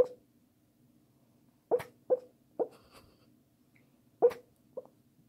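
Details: Pekingese dog talking in its sleep indoors: a series of short, nasal whimpering yips and squeaks, five or six brief bursts scattered irregularly over a few seconds with quiet pauses between.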